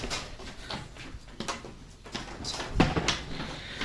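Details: Irregular knocks, clatter and rustling fill a small indoor space; no animal voice stands out.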